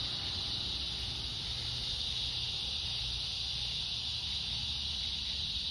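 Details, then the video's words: Cicada song at dusk in summer, August 4th, during an evening walk: a loud, constant shrill drone holding steady throughout, with low background rumble. "Evening Cicada Song Stroll"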